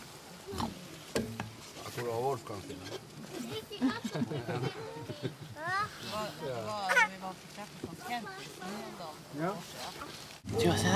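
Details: Alaskan huskies at a sled dog gathering in Målselv, 18–20 September 2009, giving a chorus of wavering, rising and falling whines and yelping howls, several dogs overlapping, with people talking nearby.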